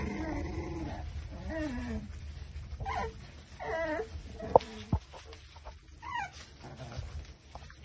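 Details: Exotic Micro Bully pups aged five weeks, kept at a Buffalo, New York kennel, let out separate short whimpers with rising then falling pitch, spaced about a second apart, plus a couple of sharp clicks and low rumble.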